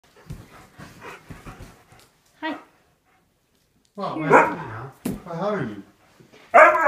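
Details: A male husky complains after his family leaves, as he does daily even for 10 minutes, with loud, wavering, yodel-like howls that rise and fall in pitch.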